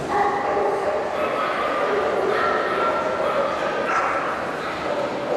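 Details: A female Labrador Retriever gives a run of quick barks and yips, with human voices mixed in.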